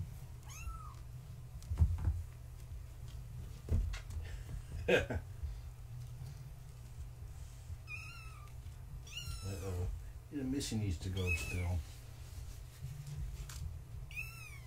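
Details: Bedtime with Gaia's kittens, born March 14, 2017, while one kitten tries to climb over a fence; scattered high, wavering kitten mews, sometimes two overlapping, amid thumps, rustling, clatter and a human voice.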